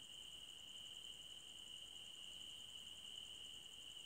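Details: Crickets in a forest at night, a soft, unbroken high trill holding one steady pitch throughout, with a fainter, finely beaded shimmer above it; quiet and even, with no other voices, wind or music.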